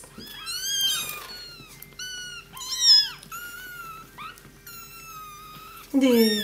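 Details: Three-week-old kittens in a box indoors, mew repeatedly in thin, high, arched cries, some held and slightly wavering, others short and overlapping, with a woman speaking softly at the end.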